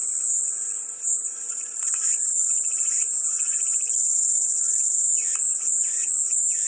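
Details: Cicadas singing in a constant shrill, high whine, briefly dipping early on, while lower pulsing chirps come and go beneath.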